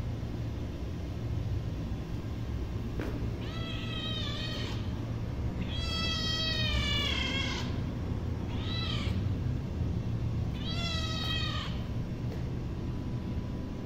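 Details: A hungry baby cat meows four times in succession, the calls rich and wavering, the longest near six seconds, with constant low hum beneath.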